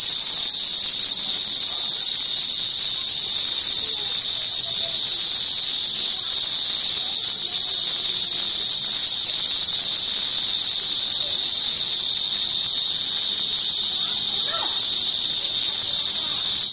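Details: A cricket (kuliglig), unseen, gives a loud, deafening, unbroken high-pitched drone that holds steady throughout.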